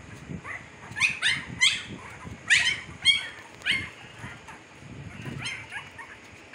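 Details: Young Siberian Husky puppies at fifteen days old, Pakistan, crowd the first seconds with overlapping high squeaks and yelps, then fade to a few softer whines near the end.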